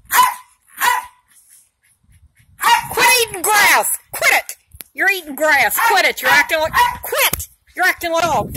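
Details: Two Jack Russell Terriers in a lively chase, one named Molly. Two sharp barks are followed by a dense stretch of high, arching yips and excited barking, mixed with a person talking.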